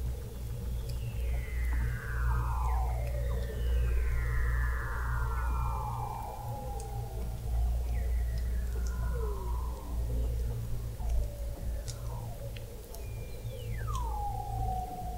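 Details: Weddell seal vocalizations recorded in November 2017 21 m below the sea ice of McMurdo Sound, Antarctica: a series of long, broad descending glides repeated every few seconds, ending in a sharp falling whistle that levels off, over deep low hum.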